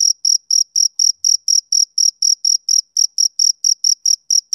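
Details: Summer-evening chirping of a male cricket, a rhythmic train of piercing, high-pitched pulses, roughly four each second, evenly spaced and unbroken against a silent background.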